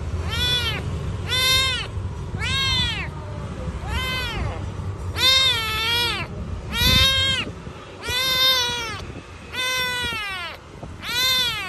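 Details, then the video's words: Domestic cat described as very hungry, meowing insistently: nine loud, clear meows with arched, harmonic-rich contours, roughly every 1.3 seconds, each rising then falling, over a low background rumble. "He is very hungry and cute"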